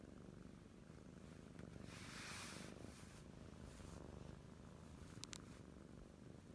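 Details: Two Oriental Shorthair kittens purring with a steady, low, rumbling throb close to the listener.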